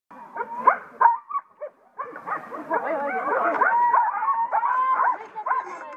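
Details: Six-dog Siberian Husky team at the Nybrodraget sled dog race, 12 April 2014: excited overlapping yips and wavering whines, rising into a continuous chorus of high howling cries, with a voice speaking near the end.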